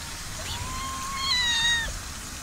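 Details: A cat from a colony living in an olive garden in summer gives one drawn-out meow that slowly rises, then falls away after about a second, over a constant shrill insect drone.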